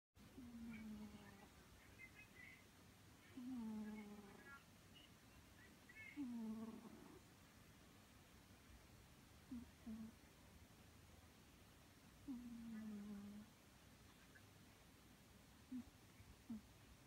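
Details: Maru, a three-year-old male Scottish Fold cat, snoring while asleep: low, drawn-out tonal snores that sag slightly in pitch, recurring roughly every three seconds with quiet pauses between.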